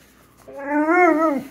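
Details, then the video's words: Pet Pit Bull named Zeusy, searching for something stuck under the couch, gives a sustained tonal whine with rich harmonics, gently wavering and dropping at the end, almost like a drawn-out talking sound; the room is otherwise quiet. "Talking Pitbull Clearly Says Words!"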